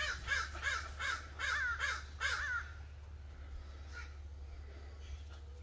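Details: A Bull Terrier doing zoomies after a shower lets out a rapid burst of excited, squealing yips, each rising and falling, then falls quiet over a steady low hum.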